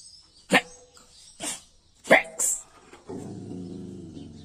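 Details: Dogs on a foggy morning let out four sharp, broadband barks in about two seconds, followed by a steady low droning tone, with human voices nearby.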